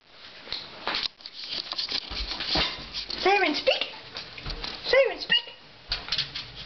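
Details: Siren, a female puppy, barks indoors when told to speak: short yelping barks that arch up and then fall in pitch, around the middle and again near the end, over pattering steps and a person's voice.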